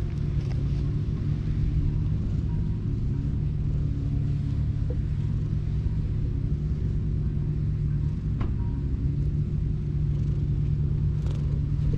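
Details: A steady, heavy low engine rumble fills the whole stretch, with a few faint clicks on top.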